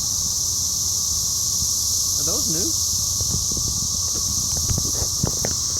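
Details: Cicada chorus in Cape Girardeau, Missouri, 4 June 2015, captured on a phone: an unbroken shrill hiss runs throughout, with a person's rising voice and chatter in front.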